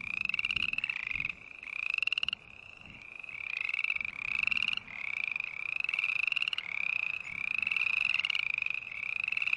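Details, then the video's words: Bursts of nasal, buzzy frog notes, each gently rising in pitch, delivered in runs of several calls separated by short gaps; green tree frog calling steadily with little other sound. "Sounds of Green Tree Frog Call"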